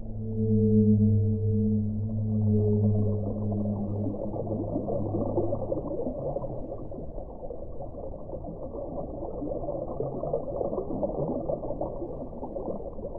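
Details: A deep whale moan with rich overtones holds for roughly five seconds, then gives way to dense, churning underwater noise.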